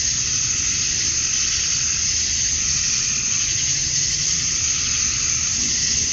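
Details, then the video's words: Male cicadas chorus at dusk on a summer night in Georgia, USA, calling to attract females: a dense, steady, hissing high drone with a bright whine on top, unbroken throughout, over a faint low rumble. "Cicadas at Dusk, Summer Night"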